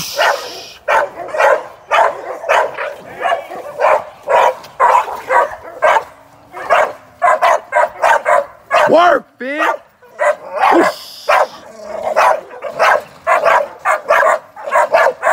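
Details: Young American Staffordshire Terrier working as a sporting dog in training barks rapidly and continuously, about two barks a second, with a few high whining yelps in the middle of the run.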